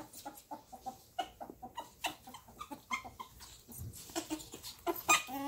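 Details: Pet ferrets squeaking and whining during rough play that sounds like fighting. A rapid run of short, harmonic squeaks comes about every quarter second, then sharper, higher shrieks near the end.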